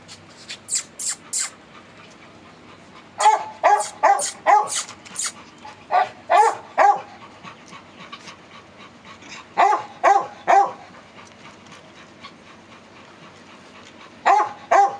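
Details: Male Beagle puppy offered for sale in Chennai, giving short yappy barks in quick bursts of three to five, with pauses between bursts and a few sharp higher clicks early on.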